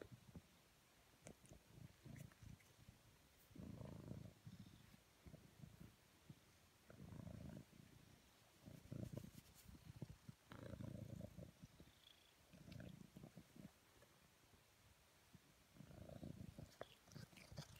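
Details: House cat purring as it is cuddled, a deep steady rumble rising in loud bursts with each breath roughly every one and a half to two seconds, quieter in between, with light rustles and small clicks of handling.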